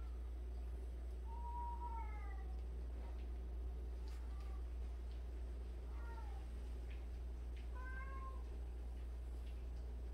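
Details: Among 76 cats kept together, a cat utters a series of short, bent, falling meows spaced a couple of seconds apart, each one brief and nasal, against a constant low-pitched hum and faint rustling.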